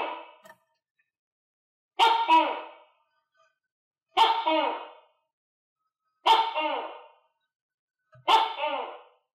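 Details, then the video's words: Tokay gecko in captivity, housed with other geckos and fed crickets; loud, nasal two-syllable barks repeated steadily about every two seconds, five in a row, each falling away at the end, with quiet between. "Funy Tokay Gecko Eat Crickets - Sound Of Tokay Gecko"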